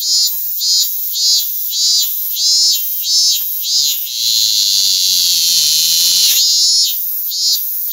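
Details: Robust cicada (minmin-zemi) singing close by in Japan: loud, shrill, high-pitched pulses repeated rapidly, merging midway into a sustained buzzing drone, then breaking back into the quick pulsing rhythm.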